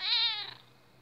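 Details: Domestic cat Notka meowing to demand her breakfast: one loud, harmonic-rich meow about half a second long, steady then fading, indoors with a faint low hum.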